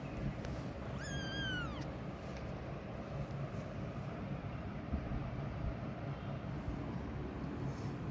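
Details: Mother cat walking away from her hidden kittens gives one drawn-out meow that rises then falls, lasting under a second, over a steady low rumbling background.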